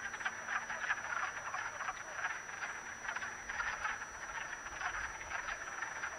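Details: A crowd of wood frogs mating in a vernal pool, Acton, Massachusetts, March 18, 2010, fills the air with throaty, quacking croaks that overlap into a dense, pulsing chorus.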